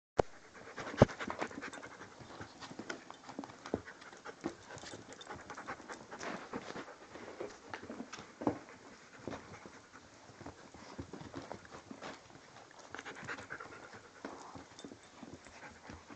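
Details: Six-week-old Inuit sled dog puppies panting, a soft, irregular breathy rasp of quick huffs with scattered clicks and small thumps, fairly quiet and close throughout.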